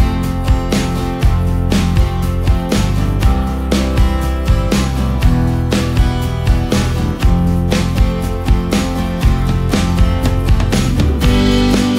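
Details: Upbeat country-style music with guitar and drums throughout, no animal sound.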